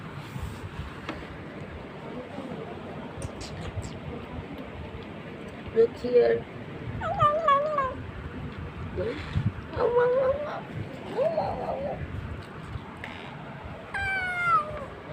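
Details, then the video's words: A cat gives several short, wavering meows and chirps scattered through the recording, with a person talking to it throughout in a room. "Meow meow meow meow"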